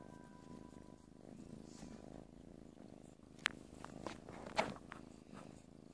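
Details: Quiet, continuous low purr from a playful kitten, interrupted by two sharp clicks and brief scratchy rustles in the second half.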